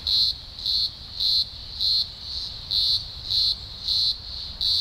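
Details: Deafening chorus from a large emergence of green grocer cicadas in the Blue Mountains, Australia, early October 2020: piercing high buzz throbbing in regular loud surges, roughly two each second, over a constant background hum.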